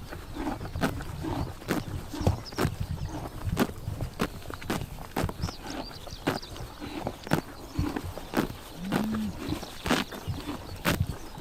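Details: Horses grazing on a summer morning in Tuv province, Mongolia, tearing and chomping grass: sharp crunchy bites and rips at irregular intervals, roughly one or two per second, over a soft steady outdoor background.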